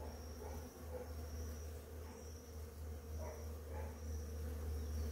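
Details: Many bees on flowering ora-pro-nóbis in the morning make a steady, low droning buzz over a deep rumble of wind or handling noise.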